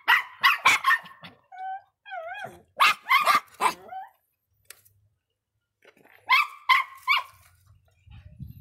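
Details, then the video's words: Irritable Miniature Pinscher giving clusters of three or four sharp, high yaps, separated by short whining tones that waver up and down, then a pause before another quick burst of barks. "som latidos de pinscher miniatura bravinho"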